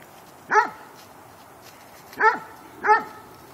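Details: Two dogs playing. Three short, sharp barks, the first alone and the last two close together, over soft background hiss.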